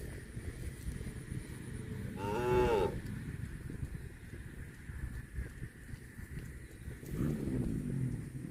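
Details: A cow moos once, a short, fairly high bellow of under a second that rises then drops, followed near the end by a softer, lower second moo over a steady background hum.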